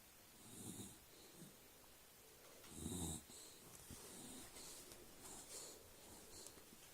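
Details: Sleeping dog lying on his back, snoring: soft rasping breaths swelling and fading every couple of seconds, one louder snort-like snore in the middle, over steady background hiss.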